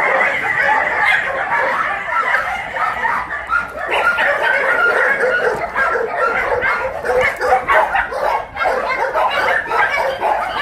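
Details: Tosa dogs at exercise time in the Mindeulle shelter for abandoned dogs in Yangsan, South Korea; dense, continuous overlapping barking from several dogs fills the whole stretch with no pauses.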